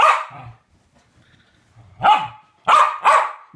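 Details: Two West Highland White Terriers at play together; one loud bark opens, then after a quiet pause with low grumbling, three more sharp, rising barks follow in a quick cluster.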